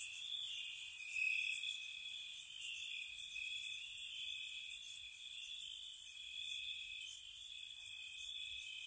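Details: Night crickets in spring at a cottage, giving an unbroken high whirring drone in stacked bands while piercing high chirps come in short clusters every second or two, with nothing else audible.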